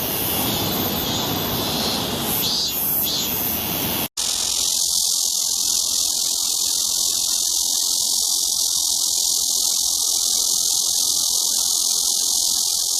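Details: Cicada song: a steady, dense high-pitched buzz that runs without pause for about nine seconds, after an abrupt cut from a rougher, noisier opening passage of similar insect buzzing.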